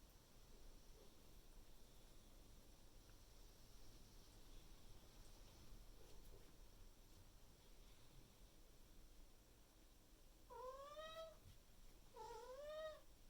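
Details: Maine Coon cat named Miku, kept indoors, loudly calling to its owner in the morning to demand food; two drawn-out harmonic meows near the end, rising then falling, after quiet room noise and faint rustling.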